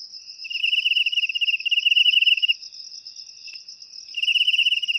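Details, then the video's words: Cricket chirping, a recording offered for driving rats out of houses: rapid trains of high, pulsed chirps lasting about two seconds, pausing, then starting again, over a steady higher-pitched ringing tone. "Suara Jangkrik Untuk Mengusir Tikus"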